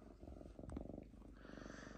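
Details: Lynx named Diva, unusually calm at home while shredding paper, purring: a steady low rumbling pulse running through the whole two seconds, with a brief sharp click near the middle and a faint hiss behind.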